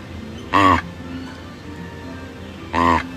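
Two brief, brassy honks from a proboscis monkey ring out roughly two seconds apart, each rich and nasal with a slight wavering pitch. Quiet music plays in the background between the calls.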